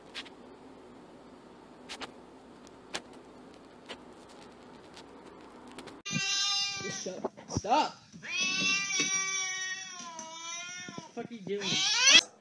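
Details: Domestic cat giving drawn-out, wavering meows with rich harmonics, several in a row after a few quiet seconds of faint clicks; a man's voice is heard alongside.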